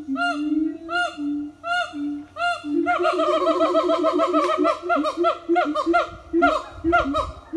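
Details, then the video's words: Siamang family singing in the morning at an eco-tourism farm; low hooting booms at first, then a dense overlapping chorus of rapid arched barks from several animals. "Good morning song from Siamang Family"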